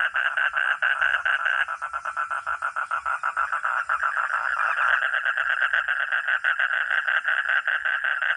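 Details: Frog or toad producing fast, evenly spaced rattling pulses at mid pitch, the rhythm shifting slightly after about two seconds and again near five seconds as overlapping callers join in.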